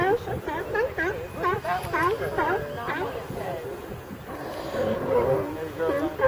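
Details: A group of California sea lions in ambient audio, giving rapid, chattering, bleat-like barks in quick succession for three seconds, then a rougher, noisier stretch of lower grumbling calls.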